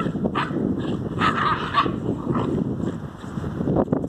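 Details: A Basenji in the snow gives short, yelping vocal sounds with a brief tonal whine over steady background rumble.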